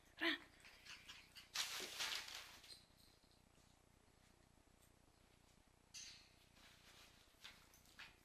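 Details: Cairn Terrier puppies playing with their mother: a brief high yip, followed by bursts of scuffling noise.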